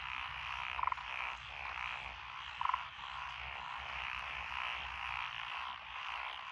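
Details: Paddy frogs in lotus rice fields of Echizen, Fukui, Japan, 12 June 2021: continuous pulsing chorus of many croaking frogs, with two close, loud stuttering croaks early on, then the even background chorus.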